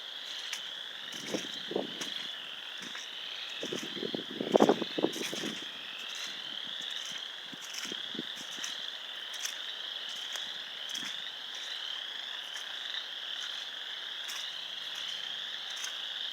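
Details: Frogs at a pond in Sanborn, New York, on 29 March 2020 give a steady chorus of high, pulsing trills, with a few lower knocks early on.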